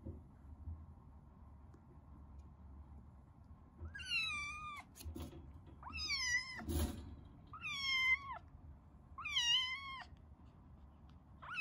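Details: Indoor meeting between resident tabby cats and a rescued kitten kept in a cage. Five or six clear, drawn-out meows, each rising then falling, spaced one to two seconds apart over a low room hum.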